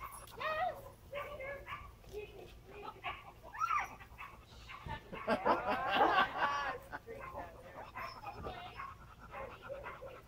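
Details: Wheaten Terrier named Cianán at an agility session, giving high, wavering whines and yips, densest around the middle, mixed with people talking nearby.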